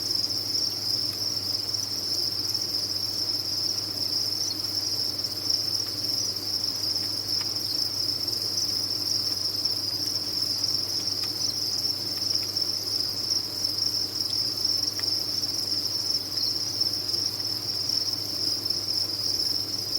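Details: Many farmed crickets chirp together in a continuous, even, high-pitched buzz that never breaks, with a soft low hum running underneath and occasional faint clicks.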